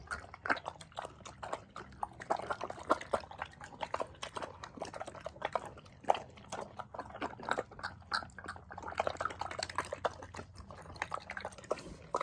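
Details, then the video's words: Rescue pig at an animal sanctuary in upstate New York, slurping while eating cucumbers: wet, clicky chewing and smacking noises in irregular quick bursts throughout, fairly quiet and close. "Symphony of Slurping!"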